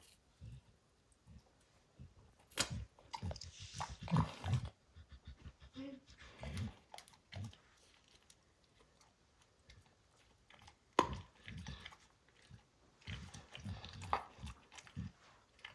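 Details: Max, a pet dog, chews and destroys the leather hide of a baseball: irregular bursts of crunching, tearing and gnawing, some sharp and loud, separated by brief quiet gaps, with no talking.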